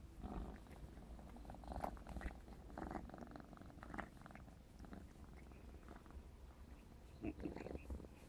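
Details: Indoor purring from a 4½-month-old black smoke Maine Coon cat at play, a low vibrating drone broken by rhythmic bursts of rougher purr and brief higher rustles and taps.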